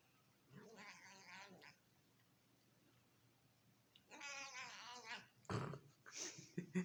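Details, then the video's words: Female cat vocalising while her owner feeds her: two drawn-out, nasal, harmonic meows about three seconds apart, followed by loud rustling and knocking noises at the end. "Cat makes funny Noises beeing feeded by her Owner"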